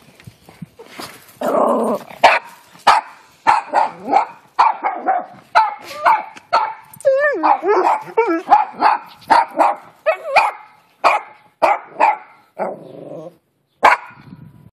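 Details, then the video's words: Male dogs in a backyard defending their territory, a dense run of loud barks and yelps, some rising and wavering whines, about one bark every half second, with brief growls and a voice shouting to stop. "Defending their territory"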